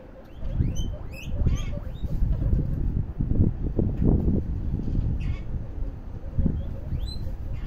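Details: Guinea pigs popcorning: short, sharp upward-sweeping squeaks come in scattered bursts over a steady low thumping and rustling from the animals moving about, louder spells around the middle.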